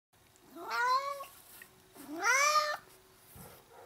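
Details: Pet cat playing with a nail file as a football calls out twice, each meow a drawn-out cry sliding upward then holding steady for about a second, separated by a short quiet pause indoors.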